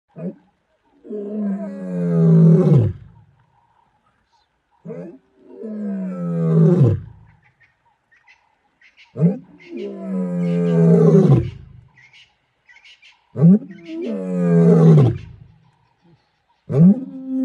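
A lion gives deep, rasping roars, each a long groaning bellow repeated every few seconds.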